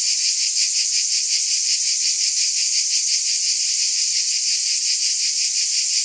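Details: Bright, hissing wall of cicada buzzing with a rhythmic pulse about three times a second, steady throughout and free of other noises.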